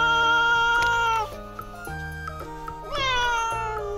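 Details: Pet Russian Blue cat complaining as her owners prepare to leave home, a protest that usually comes when she is hungry: two long, loud meows that slide downward in pitch, separated by a short pause, over light background music.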